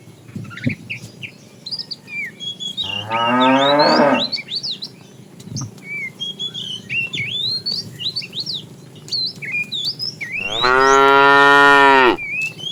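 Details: Morning herd of tame cattle searching for food: a shorter rising moo, then a longer, louder bellowing moo later, under constant chirping birds.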